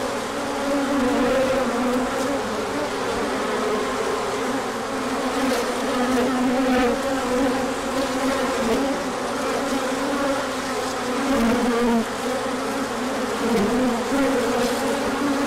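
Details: Honeybees swarming out on a large orientation flight as the sun returns after colder weather, pollen coming in afterward; a dense, steady buzzing hum with wavering tones around the lower mids, many wingbeats overlapping continuously.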